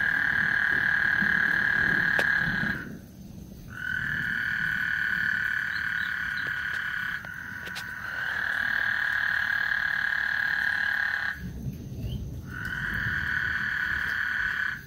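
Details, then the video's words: Frog chorus on Lake Houston ahead of a thunderstorm, with long unbroken buzzy trills lasting several seconds each and separated by short pauses, one trill overlapping another, over a low background rumble. "Lake Houston Thunderstorm and Frog Serenade"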